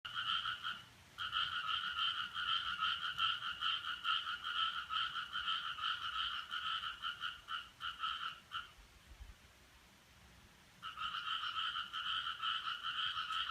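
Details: Possible frogs calling at 5:26 on Friday, 7 July 2017, an unidentified odd sound: two-banded rasping notes pulsed rapidly, about 150 per minute, in long trains, stopping near nine seconds and resuming after a two-second quiet.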